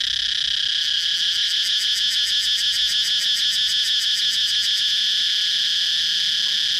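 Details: Continuous shrill cicada buzz with a fast pulsing texture in its upper part, running at an even loudness throughout without a break.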